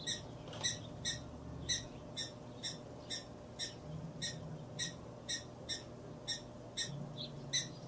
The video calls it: Sounds of Prairie Dogs / Cute Prairie Dogs.